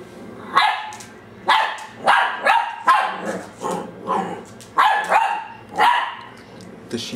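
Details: A 10-week-old female dachsador puppy (half Labrador, half dachshund), filmed in December 2008, barks at her own reflection in glass for the first time: sharp, high yapping in quick, uneven bursts, with a person talking between them.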